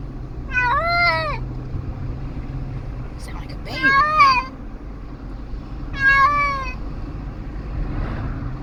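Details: Distressed cat in a moving car, sounding like a baby, gives three drawn-out, wavering meows with rising then falling pitch, over steady low road rumble.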